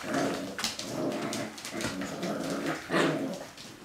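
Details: Kodah's Siberian Husky pups at six weeks old, growling and grumbling together in steady harmonic bursts, broken by a few brief sharp yips and rustling movement.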